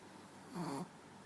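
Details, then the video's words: Single short snore from Manja, a pet dog sleeping on a bed: one brief rough nasal rasp lasting under half a second, then quiet indoor stillness. "Dog snoring"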